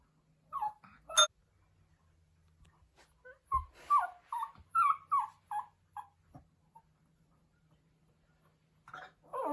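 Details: Pomeranian puppy crying out while missing its mother: scattered whiny notes, then a run of five or six short, falling, yelping howls packed into two seconds, followed by quiet and a final rising cry.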